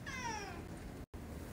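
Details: Friday morning meow from Coco, a pet cat indoors, greeted at home and said to sound like a smoker: one drawn-out harmonic meow sliding gradually downward for about half a second, then quiet room tone.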